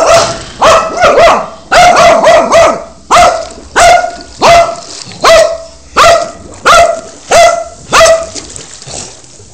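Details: Pet dog sticking its head into a swimming pool and barking at the pool's solar heating: loud harsh barks, some in quick doubles, then single barks about every second, recorded on an Android phone.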